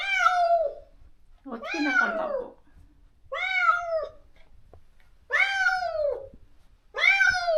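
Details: Moka, a spayed female stray from a countryside yard, wails for her separated friend while wanting outside. Four loud, drawn-out meows, each rising then sliding down, come roughly every two seconds.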